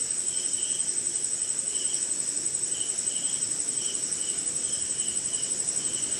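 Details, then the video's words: Cricket chirping at night in rain, India: evenly pulsing high trill with a quick throb, and separate short chirps roughly every half second, backed by constant rain noise. "Sleeping Night in Jungle - Cricket & Swamp!"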